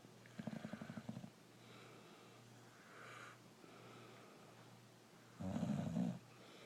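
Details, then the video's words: Sleeping brindle Boxer called Rokko snores in a small room, two low rattling inhaled snores about five seconds apart, separated by soft breathing and a steady background hum. "Boxer dog snoring away"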